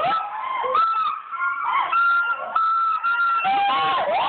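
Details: Gibbon calling: a dense, continuous chorus of sustained tonal hoots and wavering wails from overlapping voices, some notes held steady, others dipping and rising.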